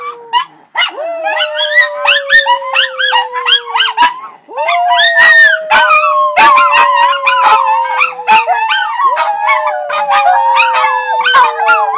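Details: Several pet Miniature Schnauzers howling together in chorus: one long, steady howl slides slowly downward and restarts twice, while higher wavering voices rise and fall over it, punctuated by sharp yelps and barks.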